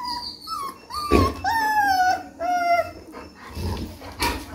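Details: Rottweiler puppy, three weeks old, giving a run of thin, drawn-out whines that step up and then glide down, with a few soft thumps and rustles from handling in between.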